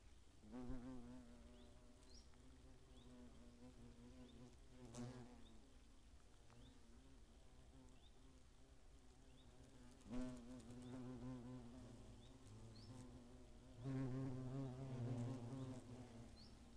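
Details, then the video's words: Attacking hornets in the Eifel in 2017, a year with many nests: deep droning buzzes swell past the listener three times, each rising and falling in pitch, with a low hum between passes and faint high chirps in the background. "Hornissen greifen an"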